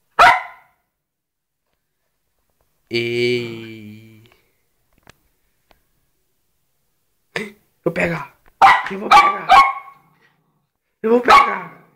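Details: Poodles Jayme, the larger, and Lendonn, the smaller, a husband-and-wife pair: a drawn-out harmonic whine lasting about a second, then a burst of sharp, high barks in quick succession, with human voices mixed in.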